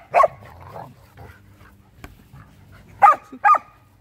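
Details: Play-chase in a winter yard between Luma, a female Samoyed, and Zuko, her Keeshond little brother: one loud bark, a quiet gap with soft rustling, then two quick barks close together.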